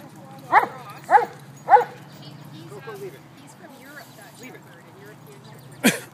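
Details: Red Doberman puppy barking while play fighting at a Toronto dog park, High Park: three sharp barks in quick succession open, followed by softer scattered sounds and a final abrupt bark near the end over a low hum.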